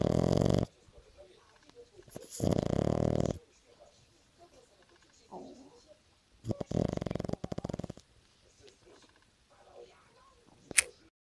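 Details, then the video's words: French Bulldog snoring: loud, rasping snore bursts at the start, near two seconds and near seven seconds, with quieter breathing sounds in between. "the French Bulldog snoring"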